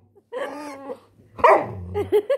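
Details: Labrador Retriever puppy producing a drawn-out whine followed by a louder squeaky yelp and several short rising squeals in quick succession.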